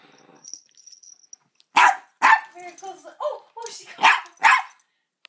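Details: Blind, deaf double dapple Dachshund barking while meeting a cat for the first time: a run of sharp barks in the second half, with a person's voice talking before them and a faint high tone.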